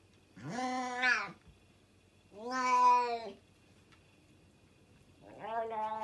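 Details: Loud domestic cat, eating fast and without chewing, gives three drawn-out, harmonic-rich meows, each about a second long, with pauses of roughly one to two seconds between them, indoors against a quiet background.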